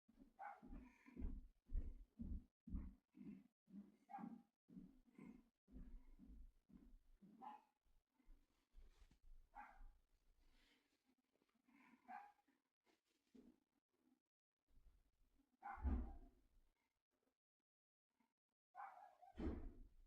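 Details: A dog barks steadily, fast and rhythmic at first with around a dozen sharp barks in eight seconds. The barking then loosens into scattered, rougher woofs with pauses, and ends in a final loud burst.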